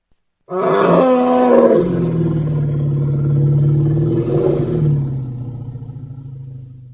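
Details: Young elephant making a long, loud call: a bright harmonic opening, then a deep, rough, rumbling roar that swells again midway and trails off over about six seconds.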